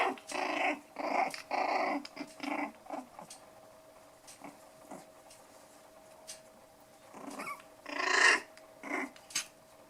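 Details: Five-week-old poodle puppies, black toy and white dwarf puppies, at play; throaty little growls come in dense bursts of about half a second, then a pause and a louder squealing growl, with a steady hum behind.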